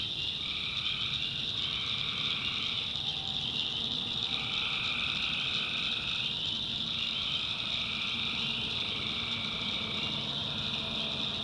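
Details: Wild tree frogs at night in the North Carolina backwoods, a dense chorus of repeated call bursts lasting one to two seconds, backed by a continuous shrill insect buzz.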